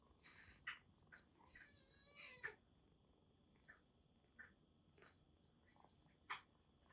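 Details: Rescued kitten with a bad cat cold, found soaked in record heavy rain in western Japan, kept at a Kagoshima kitten nursery; soft, short, high mews repeated at uneven intervals over a steady indoor hiss.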